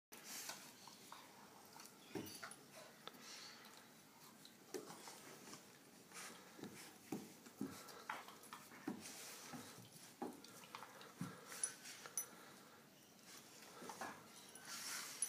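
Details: Two dogs, a Doberman and an American Staffordshire terrier, play fighting indoors; scattered short growls, snarls and snaps come in uneven bursts over steady background hiss, with a louder scuffle near the end.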